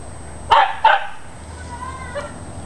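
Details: Dachshunds chasing a squirrel give two sharp, loud barks in quick succession, about a third of a second apart, followed by a faint high whine over a quiet background.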